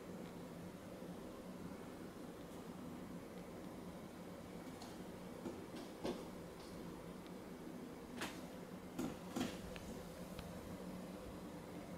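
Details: Quiet indoor room noise with a few sharp taps and knocks, like something touching a window pane, and no animal calls.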